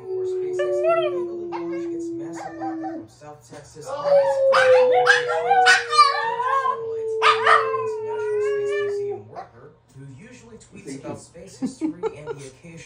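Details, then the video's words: Shih Tzu howling indoors: long wavering harmonic howls rise and bend in pitch across several seconds, mixed with television narration, a steady humming tone and a person calmly reassuring the dog. "Howling Shihtzu"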